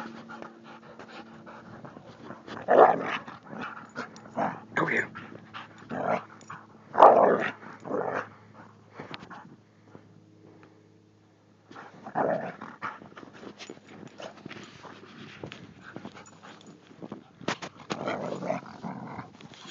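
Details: Carolina Dog–Thai Ridgeback mix named Lisa romping in New Mexico snow at Christmas, giving breathy panting and snorting bursts in uneven clusters, a brief quiet gap midway, with a faint human voice mixed in.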